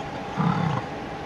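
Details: Mating American bison, a bull grunting at a cow: one low, rough grunt lasting about half a second, deep and rumbling, against a constant background hum.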